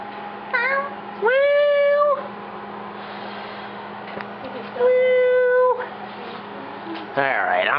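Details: A pet cat meows loudly while people goof around with it, giving drawn-out, slightly rising meows about a second long, separated by pauses, with a voice heard near the end.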